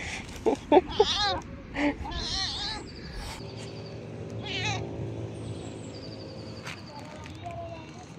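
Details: Hungry, talkative tailless stray cat, back after more than a month away, gives a quick run of short, arching meows in the first seconds, then quieter calls against faint outdoor background and a person speaking nearby.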